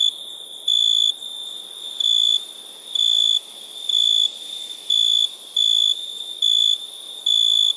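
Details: Crickets chirping at nighttime: clean high-pitched tonal bursts, nine in under eight seconds, each about 0.4 seconds long, over a low steady hiss.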